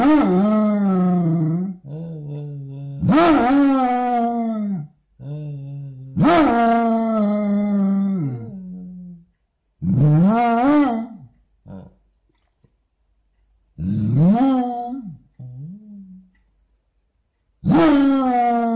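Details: Basset hound dog making a morning series of vocalisations indoors: about seven loud, groaning howls with rising-then-falling pitch, each one to two seconds long, separated by short pauses and occasional softer grunts.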